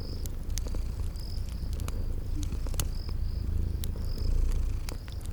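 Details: Sleeping kitties purring by a crackling fireplace in a spring garden ambience: a steady low rumbling purr underneath, with sharp fire crackles and short high cricket chirps recurring about once a second.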